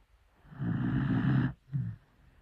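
A dachshund snores loudly, a long rumbling inhale followed by a shorter second snort.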